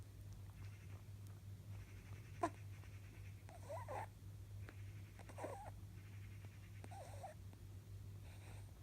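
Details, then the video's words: An almost eleven-year-old male pet rabbit snores during a power nap: soft, wavering whistled nasal tones come roughly every one and a half to two seconds, over a steady low electrical hum. "My rabbit is snoring"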